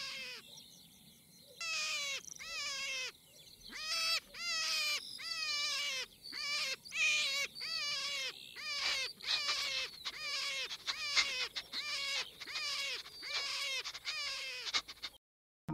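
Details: A European hare gives a high, harsh, wailing scream in a series of cries, each dropping slightly in pitch; this is the hare's distress cry, called the "vagissement".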